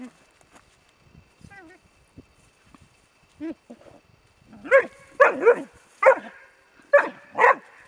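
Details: Four-month-old Bracco Italiano puppy whimpers with soft, wavering whines, then breaks into a run of sharp, loud barks in uneven pairs during the second half.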